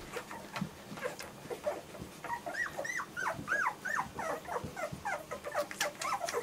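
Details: Several German Shorthaired Pointer puppies calling together: rapid, overlapping high whines and squeaks that arch up and down, repeated several times a second over a low background murmur.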